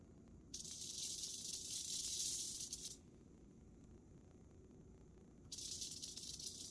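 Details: Western diamondback rattlesnake, while killing a mouse, sounding a dry, hissing buzz of its rattle for about two and a half seconds, then silent, then starting the steady buzzing rattle again.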